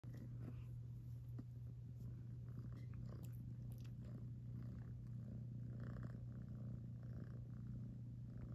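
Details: A sleepy cat purring steadily, a continuous low rumbling drone held without a break, with faint soft rustles and small clicks nearby.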